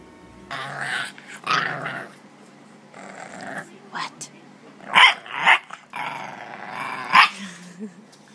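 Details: English Bulldog puppies growl and grumble in several rough bursts, with a few sharper yips, amid a person's talk.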